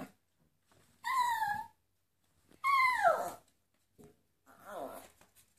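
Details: A Miniature Poodle "sings" to flamenco, giving three drawn-out, high, quavering howls, each sliding downward in pitch.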